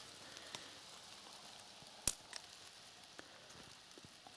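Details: Quiet hiss with scattered faint clicks and one sharp tap, and no animal voice heard.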